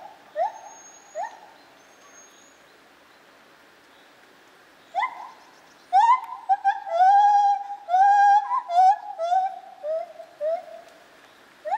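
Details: Lar gibbon, or white-handed gibbon, in a zoo in Opole, 2015: scattered short rising hoots, then a fast series of whooping notes climbing and wavering, with quick repeated rising notes toward the end.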